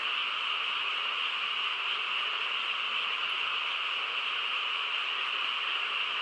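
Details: Frog chorus on a quiet countryside night: a dense, unbroken wall of overlapping calls merging into a steady, even drone with no pauses or single standout voices.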